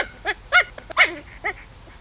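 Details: Chow Chow puppies playing; a quick series of four or five short, high yelps and whines with rising-falling harmonics, amid a person's laughter.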